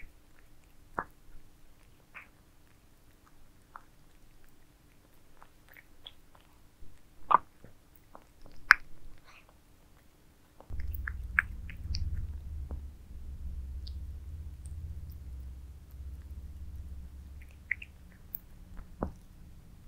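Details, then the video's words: Pet cats indoors eating towers of minced meat, with scattered wet clicks and smacking bites at first, then a steady low rumble from about the halfway point under continued sharp chewing ticks. "Cats eating minced meat towers"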